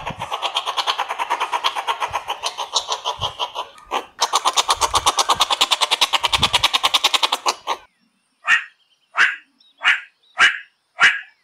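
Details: Meerkat giving a fast, buzzy pulsed chatter broken by a short gap, then ending with five separate sharp barks spaced about three-quarters of a second apart.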